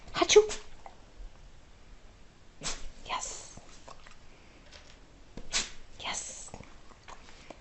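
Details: Sneezing dog having a sneeze attack: short explosive snorts come in quick pairs, about half a second apart, separated by quiet gaps, while a person speaks softly in the background.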